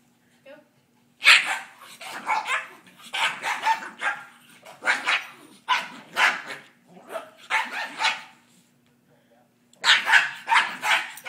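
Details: A small female Pekingese dog gives sharp snarling barks and rough growls in quick bursts while playing rough when teased.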